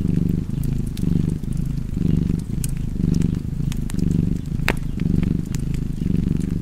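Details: Domestic cat purring steadily beside a crackling fireplace, a low rumbling drone that swells and dips with each breath roughly once per second, sharp fire crackles and pops scattered above.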